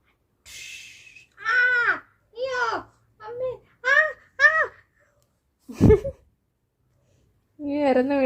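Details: Indoors, Kuttimalu the pet cat, said to seem hungry and not yet fed, gives a run of six or seven rising-then-falling meows about half a second apart, with a sharp thump midway and a final longer meow.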